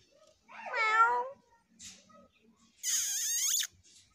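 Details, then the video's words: Scared stray kitten crying twice: a wavering, falling meow, then after a pause a much higher, shrill, strained squeal, with faint background rustling in between. "Stray Kitten's Fear"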